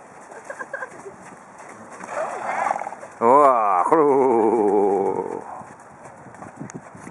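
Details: Horse at a riding outing gives a loud, quavering whinny lasting about two seconds, wavering and slowly falling in pitch, with people talking before and after.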